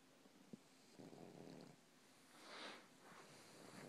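An English bulldog snores softly, with rough, breathy rasps coming in uneven bursts.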